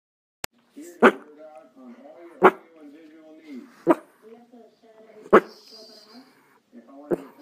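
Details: A dog gives sharp single barks every second or two, with whiny, tonal sounds in between, apparently barking at nothing.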